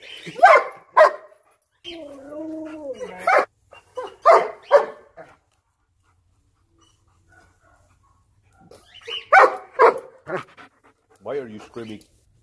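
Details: Excited German Shepherd bothering its puppies: clusters of sharp barks, a sliding whining yodel in between, a quiet pause, then another burst of barks and a wavering whine at the end.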